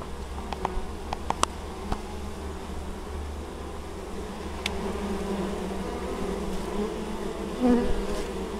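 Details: Honey bees hard at work carrying honeydew at an apiary in Moszczanka, Opole Voivodeship, Poland, 19 August 2013. A continuous, layered low buzz of many wings, broken by scattered faint taps and one louder swell near the end.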